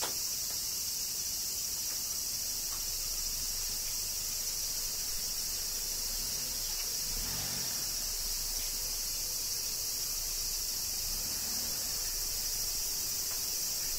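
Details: Steady cicada chorus during summer rain in Kyoto, Japan, a continuous high-pitched sizzling drone with a faint soft thud near the middle.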